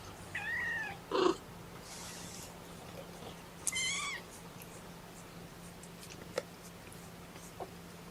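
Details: Young kittens of Mama Seraphina's litter of four mew in protest at being pottied before a weigh-in; two high, arching meows with bright harmonics stand out, followed by soft handling clicks in a quiet room.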